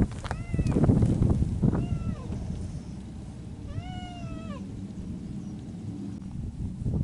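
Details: Feral cats of the mountains calling during spring courtship: two short, bent meows early on, then a longer, clear, slightly arching yowl near the middle, all over a steady low rumble of outdoor noise.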